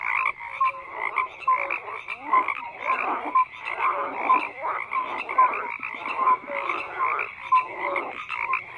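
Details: Frog chorus with rhythmic bursts of croaking roughly every second, each burst a rasping pulse train topped by a brief clear note, many frogs calling at once.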